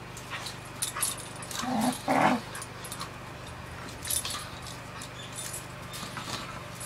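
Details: Two pet dogs at rough play, which always ends with one pinning the other; one of them sounds like a Wookiee. Two short, loud, harmonic growly bursts near the two-second mark, then quieter scuffling and clicks.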